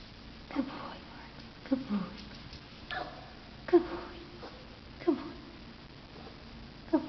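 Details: Barkley, a nine-month-old Pomeranian, gives short, sharp, mid-pitched yelps with a slight rising whine, repeated roughly every second for six calls against a quiet background.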